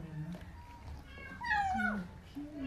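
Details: Stray kitten Portakal, very hungry, cries mid-meal indoors: one clear, drawn-out meow that dips and falls, set against soft human talking and murmuring.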